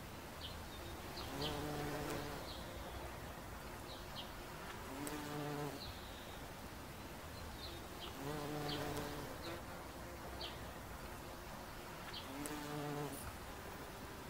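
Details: A bumblebee on an oxeye daisy gives a low, droning buzz that rises and fades in bursts every few seconds.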